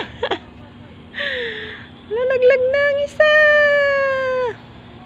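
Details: Playful pet domestic cats: a brief scratchy sound, then a short falling mew, a few quick rising chirps, and a long steady meow that holds its pitch for over a second before fading; low hum behind.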